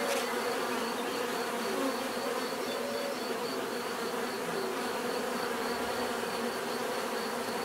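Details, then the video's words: Natural bee buzzing for relaxation and sleep: an unbroken, even drone of many wings, low humming bands shifting slightly in pitch, with a steady high whine above and no other clear sounds. "bees therapy relaxing natural buzzing sound"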